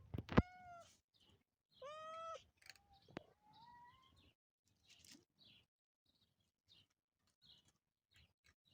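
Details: Motherless kitten, without its mother and raised by people, meowing: a short loud harmonic meow at the start, a longer strained meow near two seconds, then a softer rising mew, followed by faint rustling and near quiet.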